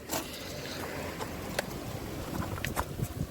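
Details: Low rustling and scraping noise with scattered sharp clicks, and no animal voice heard.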